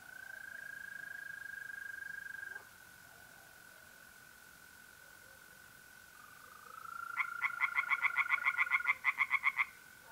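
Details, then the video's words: Tree frogs singing by night at a pond in mid-April in North-East Italy, a rapid pulsed series of harsh notes near the end, over a steady high trill from mole crickets that runs through most of the clip. "relaxing singing tree frogs in pond and trilling mole crickets by night"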